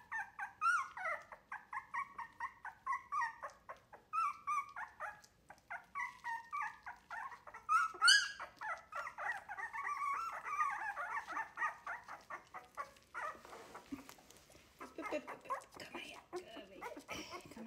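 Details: Wire-haired Miniature Dachshund puppies, three weeks old, noisily learning to eat food offered by a person rather than their mother; continuous overlapping whimpers and yips from several pups, fading into shuffling and handling noise near the end.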